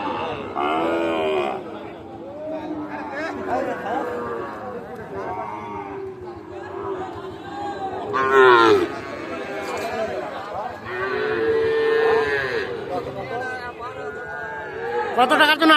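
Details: Sahiwal calves at the traditional Ambari cattle market in Parbatipur, Dinajpur, Bangladesh, on Friday 27 December 2024; several drawn-out moos with harmonic bands rise above constant crowd chatter, bargaining voices and brief music.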